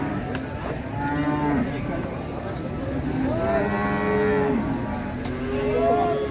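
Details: Cattle at a market in Ngawi, Indonesia, where trucks load animals: three clear, drawn-out moos, each rising slightly and then held, with a faint bustle of the market behind.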